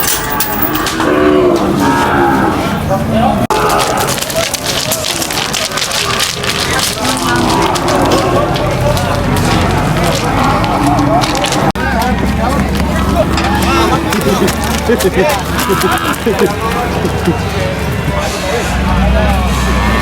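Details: Cattle unloading from a truck at a market: several overlapping low harmonic moos throughout, set against a constant noisy crowd background with people talking and clatter.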